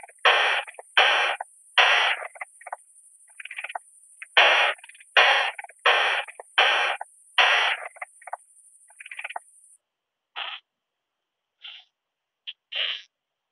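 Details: Short-tailed Plump Bush-cricket (Isophya brevicauda) in Muhrtal, Austria, 24 July 2022, picked up through a Pettersson D 100 ultrasound detector: a series of raspy broadband bursts roughly every half second, then scattered softer pulses; a steady high whine fades out partway.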